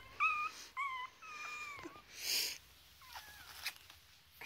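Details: Three-week-old foster Chihuahua puppies at play indoors give thin, high squeaks in short separate bursts, some held level and some dipping, with faint handling noise between them.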